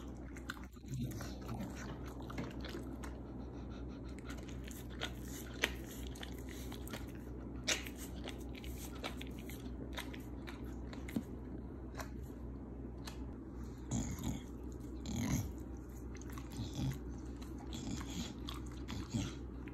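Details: Pit Bulls trying barbecued, banana-leaf-wrapped royal honey baby bees from a local farmer for the first time, with repeated crisp bites and crunchy chewing, sharper snaps near the middle, and a constant low hum behind.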